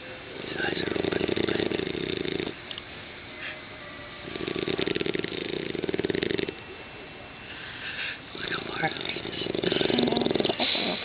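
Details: Six-month-old English Bulldog puppy asleep and snoring: rough, buzzy snores in long stretches of about two seconds, alternating with quieter breathing gaps, in a small indoor room.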